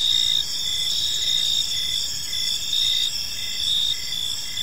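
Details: At evening in a serene park, crickets chirp gently, a bright layered trilling that holds steady, with faint repeated pulses rising and falling slightly in loudness.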